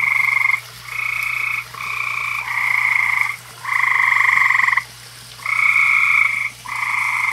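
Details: Frog chorus at a koi pond on a summer evening: loud, grating trilled croaks of varying length, one running over two seconds, repeat rapidly with brief pauses, with a steady low hum beneath.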